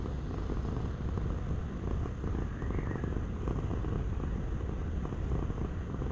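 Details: A cat purrs close up, a dense, low vibrating drone of quick rhythmic pulses that rises and falls gently with each breath over six seconds, with no other sounds.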